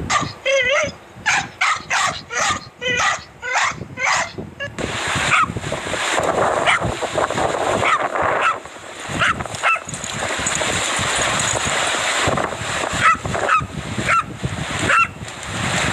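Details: Dachshund barking, from a compilation of funny dog and puppy clips: a quick run of sharp, high, harmonic yips for about four seconds, then a noisier stretch with scattered short barks over steady broadband hiss.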